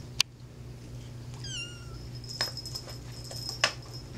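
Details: A cat named Lady Di at play gives one short, falling, tonal meow, surrounded by jingling bell-like rattles and sharp taps from its play.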